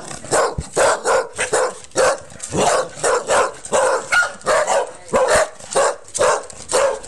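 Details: Cardigan Welsh Corgi recorded on a mobile phone; a rapid run of sharp, loud barks, roughly two per second, steady and insistent throughout.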